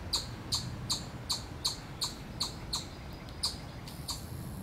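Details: Chipmunk at Miller Park in Columbus, Ohio, USA, calling its predator alarm: a rapid, regular series of about ten sharp high chips, roughly two to three per second.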